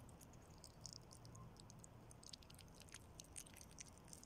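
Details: A nutria eating Italian spaghetti, close-miked: soft, rapid crackling and clicking bites in a dense stream, with a low steady hum underneath.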